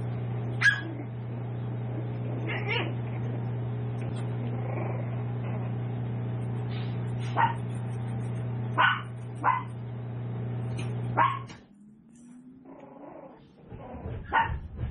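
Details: Tiny toy poodle pups, seven weeks old, from Raven's litter at a home breeder; sparse single high yips every couple of seconds over a low hum, which cuts out near the end, leaving quieter rustling and one last yip.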